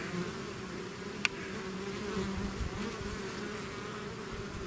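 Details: Bees swarming from their hive produce a constant deep buzz, many wings overlapping, with one sharp click just after the first second.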